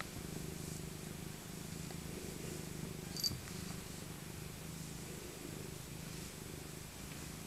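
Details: Elderly female tabby cat Maca, rescued as an abandoned kitten, purrs during a winter cuddle; continuous low, pulsing rumble with a brief faint click at about three seconds.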